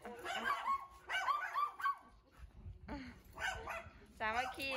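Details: Siberian Huskies of Candy's household on a walk around home in the cold-season wind, Ubon Ratchathani, Thailand. Dogs give several drawn-out, harmonic yowling calls that bend up and down, in short bursts with a woman talking alongside.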